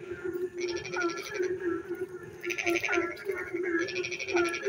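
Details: Rainy-night frog chorus, brief: three raspy pulsed bursts separated by short gaps, a few hooked croaks, and an unbroken low drone in the background.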